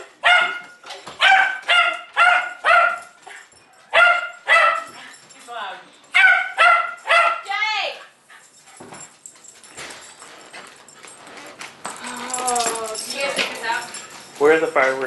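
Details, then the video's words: Jay, a pet Jack Russell Terrier with dependency issues, giving a run of high sharp barks in the first half, ending in a drawn-out whine, then quieter mixed noise and a few final yips. "Annoying Jay (Jack Russell Terrier)"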